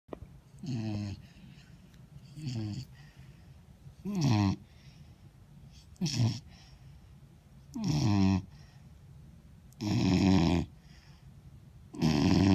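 A Vizsla puppy snores in slow, rasping breaths about every two seconds.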